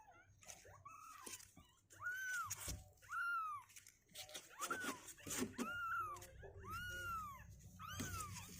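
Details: Kittens two weeks old, restless and climbing out of the box, give clear rising-and-falling mews roughly once a second, separated by rustling and small knocks.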